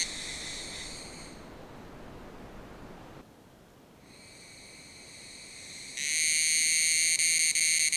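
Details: Unidentified Tanna cicadas, possibly Tanna karenkonis, in Taitung, Taiwan, at 1000 m sing together in a loud, high, ringing chorus that fades out and swells back. The song resembles that of a related Tanna species.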